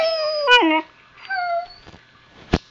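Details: Husky puppy vocalising back at its owner indoors: a drawn-out, tonal whine stepping down in pitch, then a second shorter level whine, with a sharp knock near the end and a woman's voice speaking between calls.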